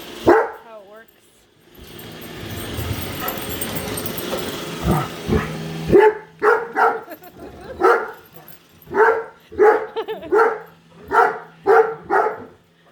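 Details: A female Great Dane barks nonstop at a newly unboxed Roomba robot vacuum, a run of deep, booming barks in quick succession.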